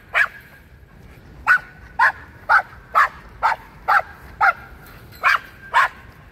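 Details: Dog chasing squirrels, barking in sharp repeated yaps about twice a second, ten clear barks in steady succession against a quiet background.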